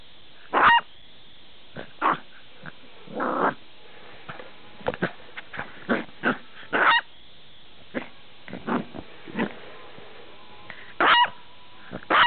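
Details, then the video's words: Buster, a usually quiet dog, barks loudly in short punchy bursts spaced a second or two apart, mixed with softer grunting and growl-like sounds between the louder barks. "Buster Barking Up A Storm"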